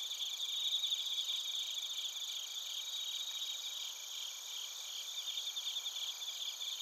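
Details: Crickets, including bell crickets, heard in Narita, Chiba, Japan, on a TASCAM Portacapture X8 recorder: continuous high, shimmering trills and thin rapid chirps blending into a soft, even insect chorus.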